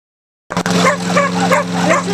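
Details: Pit bull type dogs and a Jack Russell type dog barking and yipping while attacking a lawnmower in a backyard; rapid excited barks over the steady drone of the running mower engine.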